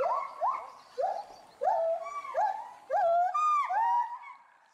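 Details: Agitated agile gibbons, a captive male and female at Bristol Zoo Gardens, UK; several rising hoots building into longer, higher, wavering wails near the end, calls loud and close, fading at the finish.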